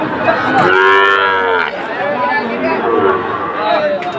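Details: Sahiwal bull calves at Ambari cattle market near Sylhet, Bangladesh, on 2 October: one long, rich harmonic moo lasting about a second, then softer lowing, over a constant roar of crowd noise.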